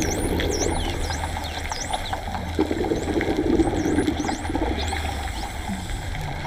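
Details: Dolphins underwater at Raggie Cave giving a run of quick whistles, sweeping down then up in high U and V shapes, several overlapping, with scattered clicks over a steady low rumble of water.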